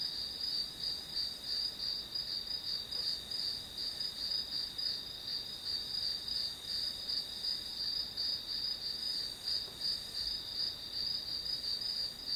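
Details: Grass insects keep up a steady, high, ringing trill that throbs nearly three times a second, the background otherwise quiet apart from a faint hiss.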